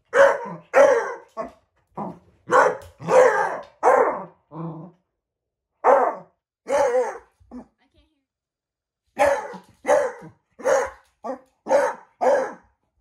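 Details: A beagle barks at a shadow, giving a series of short, harsh barks and drawn-out bays in quick bursts. A pause follows around the eighth second, then the barking resumes in a steady run.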